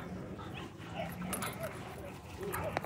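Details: Chihuahua at a dog park, charging a German Shorthaired Pointer that is playing with a rope; a few short, high yips and whimpers scattered through the clip, fairly faint, over a steady outdoor background rumble.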